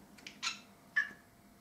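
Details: Cat scolding at a thread: a few short, breathy, mid-pitched chirping bursts followed by one sharper clipped call, all within under two seconds in a quiet room.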